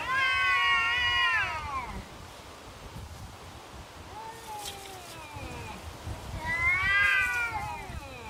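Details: Neighbourhood cats locked in a standoff: a loud harsh caterwaul opens, a softer falling yowl follows mid-way, then another loud strained howl near the end.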